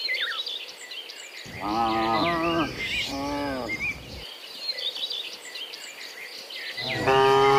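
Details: Morning cows heading back from the field to their pen: two wavering moos in the middle, a third starting at the end, over steady chirping of birds and insects in the background.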